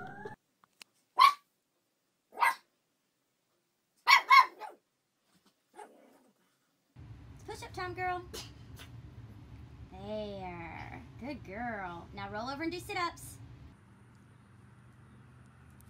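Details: Puppies making a few short, sharp yips, then a run of wavering, whiny whimpers that rise and fall over a steady low hum.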